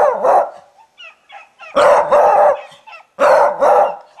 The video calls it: Beagle Barking